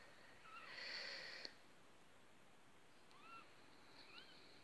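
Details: Two-week-old Maine Coon kittens: a soft breathy rush of noise at the start, then two thin, high mews that arch up and down, spaced roughly a second apart, over a low steady background hum.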